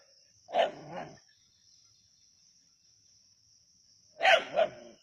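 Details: Two paired barks from native dogs chasing a snake at Keezhadi, each pair a loud yelp followed by a softer second bark. The pairs come roughly three and a half seconds apart against a continuous high-pitched insect whine.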